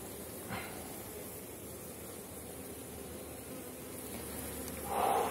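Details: Strong honey bee colonies in a Polish apiary near the end of the season, heard during a frame inspection: a dense, steady hive hum with a brief louder surge near the end.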